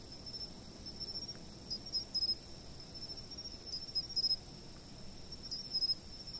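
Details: Insects chirping: a steady shrill drone with bursts of three or four quick bright chirps roughly every two seconds, set against faint soft ambient noise.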